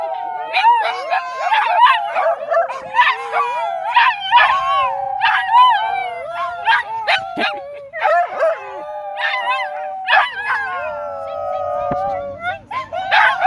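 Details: Group of dogs at Dunedin's dog park howling in chorus alongside a person: sustained overlapping howls with repeated rising yelps and wavering notes bursting in every second or so, continuing for the full length.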